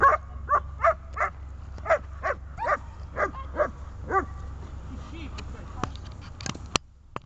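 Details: Dog on a bungee tether during grip and calming training barks rapidly at first, the barks thinning out after about four seconds; a few faint clicks and knocks follow.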